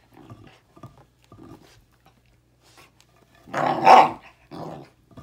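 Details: Bruno, a Basset Hound, growls indoors while chewing a seasoned birch beaver stick; short low rumbling growls in three pulses, then a louder, harsher growl-bark burst and two brief follow-up grumbles.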